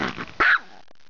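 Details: Female dog barking once, a short sharp bark, in reply to the Polish command "do paki!" ("go to prison!"), which means being shut in a small room away from guests. A brief voice or noise comes first, then quiet room tone.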